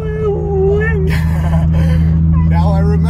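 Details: Impatient Siberian Husky crying in a car on the way to Pfeiffer Beach, throwing a temper tantrum: a drawn-out, steady whine with a slight wobble lasting about a second, over constant engine hum, followed by people talking.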